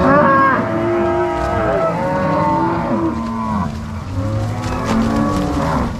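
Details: Angus-Nelore cross cows herded from corral to pasture by three cowboys and six dogs on a farm in Ortigueira, Paraná, March 2022; several long, wavering moos overlap, with a short lull midway.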